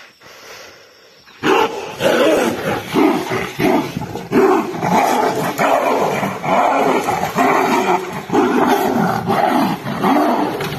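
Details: Two wild Royal Bengal tigers fighting in Nagarahole National Park tiger reserve, Karnataka, India: after a quiet opening, harsh, loud roars and snarling growls burst out and continue in rough overlapping pulses, roughly one to two per second.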